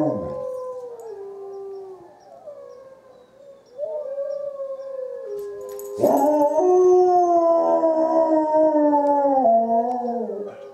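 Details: Izzie the dog howls back at wolves, long sliding notes falling in pitch, a short pause, then a loud sustained chorus of overlapping howls, steady and slightly wavering before fading at the end.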